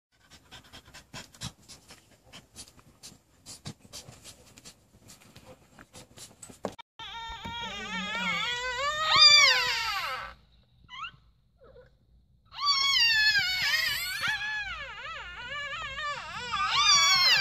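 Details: Mamba, a chocolate brindle female French Bulldog at the start of labor, whines and cries in long, high, wavering moans that rise and fall while panting heavily indoors after nesting; recorded June 30, 2018.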